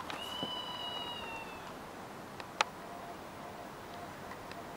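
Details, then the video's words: A red squirrel, recorded 26 August 2023, gives a single thin, drawn-out, meow-like whine that falls slightly in pitch. "Orava huutaa naukuu"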